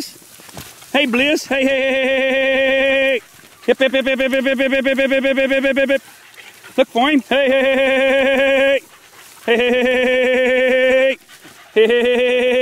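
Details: Young Beagle pups, four months old, working in the wild in 2013, give long sustained bays, drawn-out tones lasting one to two seconds each with brief gaps, a short rising yelp before several bouts.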